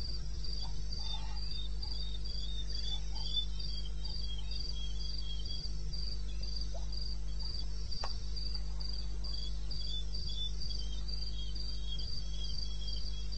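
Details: At night in eastern Botswana's wilderness, 02:30 on 21 May 16, crickets keep up a fast, regular train of high chirps, two singers overlapping at different pitches. A low continuous hum and one faint tap accompany them.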